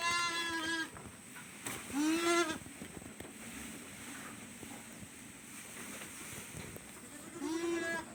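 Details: Farm goats bleating in three separate bursts, each a wavering, nasal, harmonic-rich cry under a second long, spaced by quiet stretches with faint background murmur.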